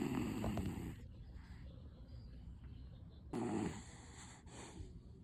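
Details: A 16-year-old female beagle snores loudly while sleeping comfortably, each rough, rumbling inhale followed by a softer pause; owner suspects she may have snored like this since she was young.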